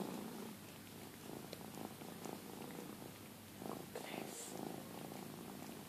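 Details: Domestic cat purring while being groomed by another cat indoors; a low, steady rumbling purr runs throughout, with a woman's soft voice briefly audible partway through.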